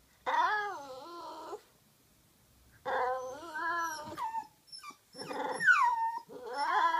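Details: Toy Poodle whining because it wants to play fetch and is getting angry at being ignored; two long wavering, high-pitched whines with a short gap, then a sharper rising-falling yelp and another whine.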